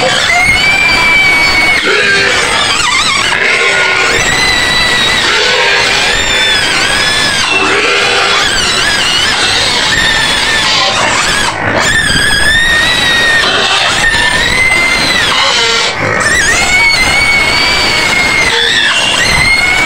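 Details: White pigs screaming repeatedly in their pen on the outskirts of Medan, with loud, shrill, harmonic squeals held for a second or more, one after another with hardly a pause, over a dense, noisy background.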